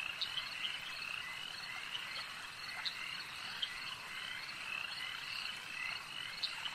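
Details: Frogs at a lake keep up a thick, high-pitched croaking chorus, with a few brief, clearer chirping notes rising above the constant overlapping drone of distant callers.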